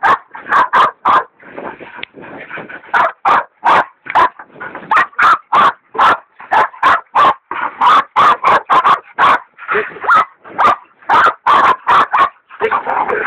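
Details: Baying of a big sow hog by two dogs, Dixie and the leopard dog Dollie, who is still in training; a rapid, steady run of loud barks, several per second, with drawn-out whimpering howls overlapping.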